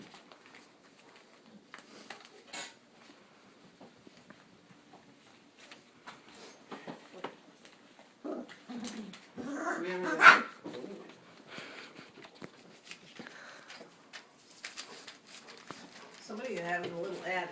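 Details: English Cream Golden Retriever puppies, four weeks old, playing indoors just before lunch; scattered soft whimpers, squeaks and small growls amid quiet rustling, with a louder whine burst near the middle and a few brief human voices.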